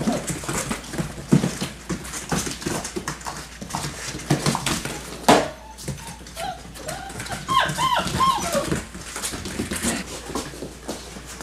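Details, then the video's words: Yellow and black Labrador Retriever puppies, six weeks and one day old, running and playing together; rough scuffling and pawing noises run throughout, broken by short growls and a run of thin, high whining yelps near the end. "puppies running, growling and playing!"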